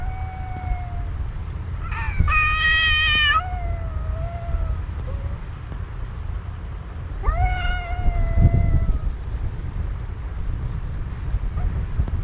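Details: A black cat and a white cat talking to each other, the black cat addressing the white one with an intense voice; loud harmonic-rich wailing meows come in two bursts, around two and seven seconds in, over a constant low rumble.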